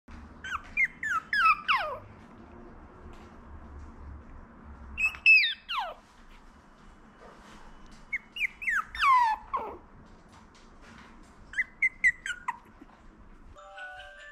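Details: Twenty-five-day-old Maltese puppies, named Apple and Mango, give thin high squeaks that slide sharply downward, coming in short clustered bursts with quiet gaps between, over a soft low hum.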